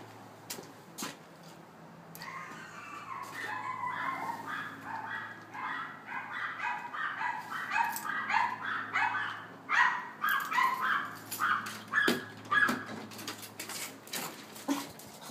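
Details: Morkie with a barking problem, brought to a dog trainer in Fort Myers, barking wildly at a hello: fast runs of sharp, high yapping barks roughly twice a second, growing louder and choppier near the end, over a low indoor hum.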